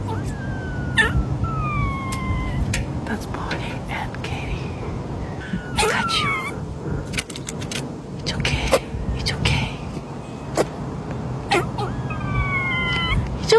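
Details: A mother squirrel and her daughter give drawn-out, falling, whistled, song-like cries that overlap, and a male squirrel adds a raspy cry amid tensions in the group, while a woman softly comforts them.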